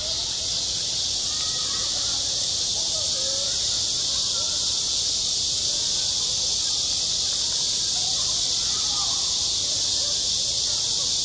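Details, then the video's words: A continuous high-pitched hiss of cicadas on a midsummer school playground, even and loud throughout, with faint chatter of people low beneath it. "한 여름 운동장에서 매미가 울고 있다 - 여름의 소리, 학교 종소리, 매미 울음소리"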